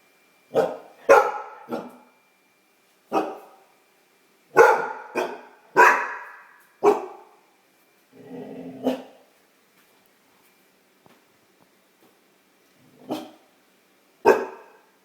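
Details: A young female Great Dane puppy discovering her bark barks at her own reflection in abrupt, rough bursts, some in quick pairs, with a lower growl-like bark midway and pauses of a fraction of a second to several seconds.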